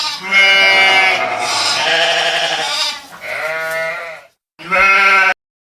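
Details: Sheep bleats in a long quavering series lasting about four seconds, a brief silence, then one more short wavering bleat.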